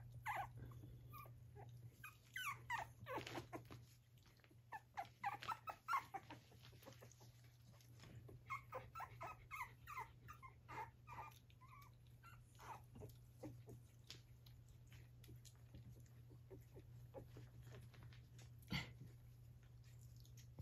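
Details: Gracie, an Australian Terrier dam, tired but still busy with her six 3½-week-old puppies: dense clusters of thin, rising whines and yelps, busiest early then sparser, with a constant low hum underneath.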